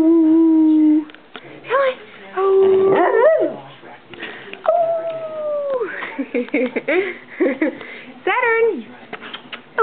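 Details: Pet dog giving its unique woo-woo noises, not barks or growls: held wavering tones, sliding yowls and short yips in a varied chattering run, with a person's voice possibly mixed in.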